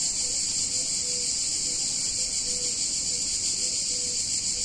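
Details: Cicadas on a hot summer day in a picturesque Italian town in Italy: a dense, steady, high buzzing drone with a fine pulsing texture, unbroken throughout, with faint short tones recurring in the background.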